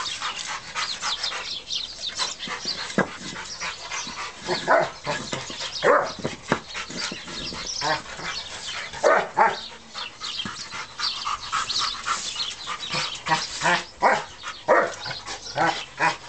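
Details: A three-year-old, 120-pound German Rottweiler stud dog, wild with his toy brick, gives short, rough barks and gruff growls in irregular bursts, mixed with sharp clattering knocks.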